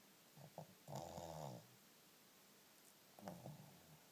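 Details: A sleeping Shih Tzu snores loudly: two rasping, throaty breaths about two and a half seconds apart, each lasting roughly half a second, in a quiet small room.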